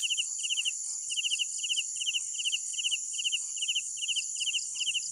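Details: Crickets at night giving quick trilled chirps of a few pulses each, repeated roughly two to three times a second, over a steady high ringing insect drone and faint low background hum.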